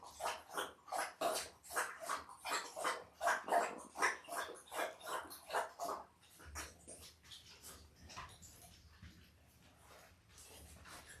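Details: Five-day-old Labrador Retriever puppies, a litter of five males and three females born October 15, 2023 to the mother Belle, squeal in a rapid series of short, high cries, about one per second, for six seconds before fading to quiet rustling.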